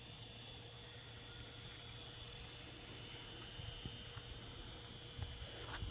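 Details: Cicadas sing in summer in a steady, high-pitched buzzing drone that holds without a break.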